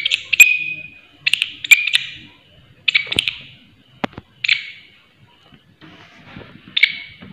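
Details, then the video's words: Shrill grasshopper call in short ringing bursts, each under a second, spaced irregularly about a second apart with brief gaps. A couple of sharp clicks and soft low background sounds lie between the bursts. "Belalang Suara Nyaring"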